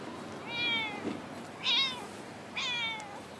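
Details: Talkative female stray cat that always stays in a park car park, giving three clear meows about a second apart. Two are long and drawn out, one is shorter and rising, over quiet background hiss.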